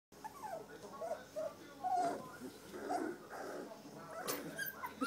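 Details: Three-week-old standard poodle puppies from a litter of Star and Levi give thin, whistled whimpers and squeaks, several short rising and falling notes overlapping in a quiet room.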